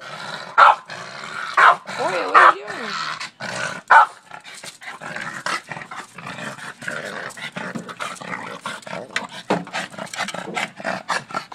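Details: Boston Terrier that barks at a shovel every day: a few sharp barks and a wavering whiny growl early on, then continuous scraping and scuffling with scattered clicks.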